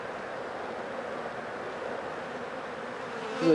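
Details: Honey bees humming steadily at a hive with many dead, rain-wet bees out front after four days of rain; an even, droning buzz with a faint low hum throughout, louder toward the end.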